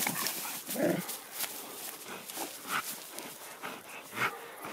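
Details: A Sarplaninac farm guard dog confronting a badger gives short, rough barks and yelps in irregular bursts, with scuffling noise between them.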